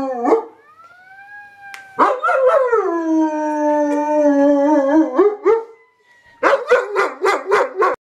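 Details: Phoenix, a dog, howls along with a fire siren, as it does every time the siren sounds. Long wavering howls slide downward while a steady high siren tone runs underneath, ending in a burst of short rapid yelping howls.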